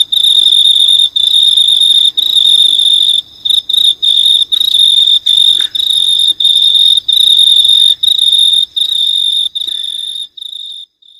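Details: An unidentified insect in the dark in New Zealand gives a steady, high, pure trilling buzz, broken by brief pauses roughly every second.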